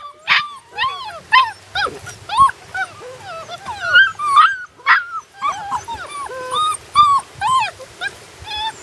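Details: On their first day outdoors, puppies keep up a steady chorus of high, whining whimpers and yelps, each rising then falling in pitch, repeated about every half second, overlapping and close to the microphone.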